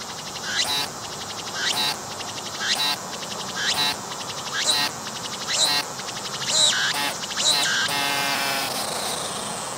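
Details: Singing cicada approached closely on a tree, its belly visibly moving as it calls: a steady run of rasping pulsed phrases, roughly one per second, ending in a longer continuous buzz.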